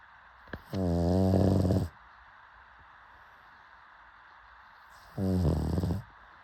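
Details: Pug snoring: a long rattling snore of over a second, preceded by a small snort, then quiet, then a shorter rough snore; low, harmonic and vibrating.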